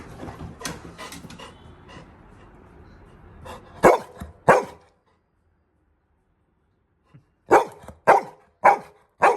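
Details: Labrador Retriever Little John, roused from sleep in the bedroom for a midnight walk, barks loudly while being leashed. Two barks sound close together, then a silent gap, then four more evenly spaced barks. Voices and rustling come early.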